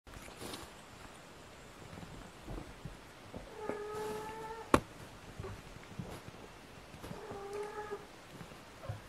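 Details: Kitten meowing indoors, two clear tonal meows about three and a half seconds apart, each level and slightly drawn out, with faint clicks and taps around them.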